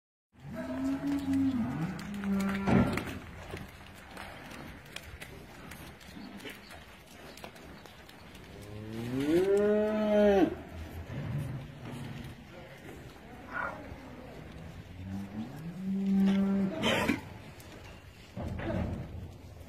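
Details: Friesian cows running, jumping and playing on a dairy farm in Pakistan: several deep, drawn-out moos, one long rising-and-falling bellow near the middle, amid thumping, rustling and background clatter.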